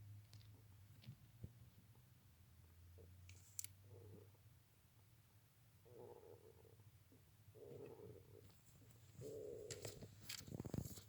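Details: Hedgehog snoring indoors: soft, raspy breath-like bursts in the mid range, spaced a second or two apart and growing louder toward the end, over a steady low hum with a few faint clicks.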